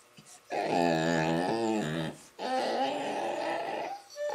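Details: Labradors at play with a young Rottweiler give a drawn-out, wavering moan lasting over a second, dipping near the end, then a second rougher, sustained groan after a short break.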